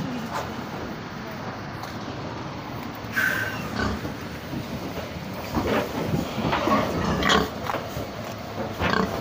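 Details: Pigs arriving on a truck at Tulip Slaughterhouse in Manchester on Tuesday 13 July 2021; irregular short squeals and grunts sound over a steady engine-like rumble, with scattered clatter and a voice at the start.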